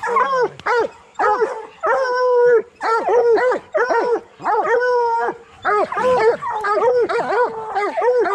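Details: Coonhounds, bluetick and black and tan, in training to hunt raccoons: drawn-out, arching bawls repeated in bursts with short gaps. Some notes are held steady before dropping, and several dogs seem to overlap.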